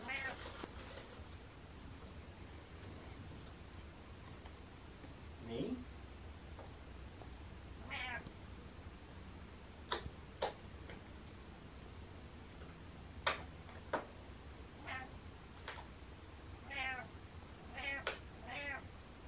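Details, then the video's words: Butters the cat lets out several scattered meows, short arching harmonic cries, among sharp clicks and taps and some soft voice sounds in a quiet room. "Meow Meow Meow"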